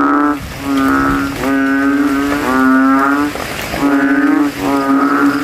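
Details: Rival male banded bullfrogs compete in a rain-filled puddle at a cemetery after dark with throats puffed out; five deep, buzzy, cow-like moans follow almost back to back, overlapping slightly, with little other sound.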